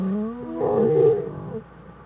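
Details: American black bear cubs denning with their mother, January 1, 2013; one brief strained, swelling harmonic cry lasting about a second, then fading.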